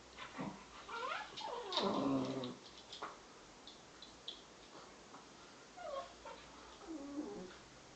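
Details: Two Bedlington Terrier pups, 7 and 10 months old, making strange noises while playing; soft grumbling, whining and growl-like vocal bursts that rise and fall, over a steady background hiss.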